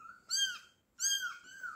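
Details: Fifteen-day-old kittens calling: two shrill, rich mews, each rising then falling, separated by a brief gap, the second trailing into a longer wavering cry.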